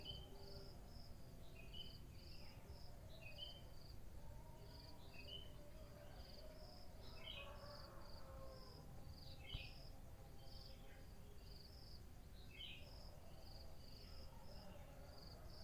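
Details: Morning crickets give a continuous series of shrill, high chirps at an even pace, while birds call intermittently with short falling notes over a steady low hum.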